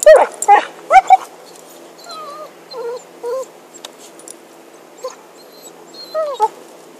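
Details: Happy the dog, with a stick, starts with a few sharp yelps, then gives soft, scattered, wavering whimpers separated by pauses.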